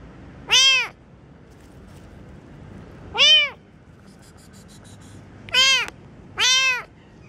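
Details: Kitten giving four loud, clear meows, each an arched call rising then falling, spaced irregularly over about seven seconds, with faint background hiss and soft ticking.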